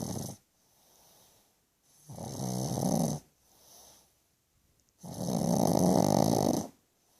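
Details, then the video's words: George, a pug, snores loud in his sleep: two long, gravelly drawn-in snores about three seconds apart, each followed by a softer wheezy breath out. "Annoyingly Cute pug snoring loud"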